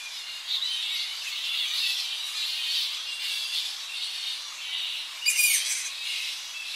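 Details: Tonga flying foxes returning at early morning to roosting trees on the coast; a steady din of high, shrill twittering squeals from many bats, close up, with a brief louder screech late on.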